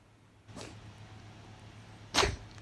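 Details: Persian cat (Felis catus), sneeze.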